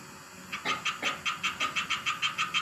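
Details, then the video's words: A tree frog in a vivarium sings a fast series of bright, raspy notes, about five each second. "Singing a tree frog in Vivarium"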